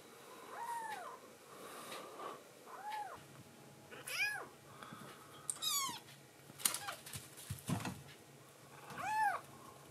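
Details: Rescued tuxedo kitten in foster care, indoors at night after drinking milk, meowing affectionately to its mama; about six short arched meows, rising then falling, spaced irregularly, with faint rustling and room noise between them.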